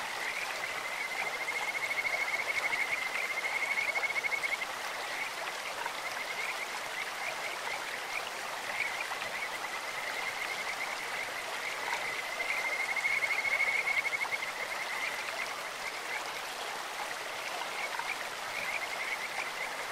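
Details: Stream-dwelling Kajika frogs croaking: a bright rapid trill at about two seconds and again near thirteen seconds, high and unwavering in pitch, set against an unbroken wash of flowing water.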